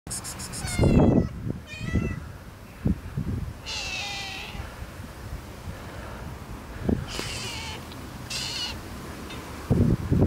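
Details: Cute cats meowing from hunger: a few drawn-out, arched meows around four, seven and eight and a half seconds, with low thumps and handling noise between them.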